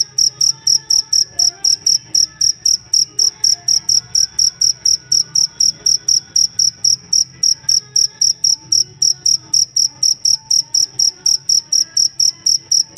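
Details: Cricket used as a master sound to train songbirds, singing a steady run of high, clear, metallic chirps, roughly four pulses each second, evenly spaced, with faint soft chatter low in the background.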